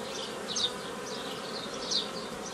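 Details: Mass of honey bees droning steadily as nuclei are formed the traditional way from a forager swarm on 15 May 2018, with two brief, brighter high chirps rising out of the constant hum.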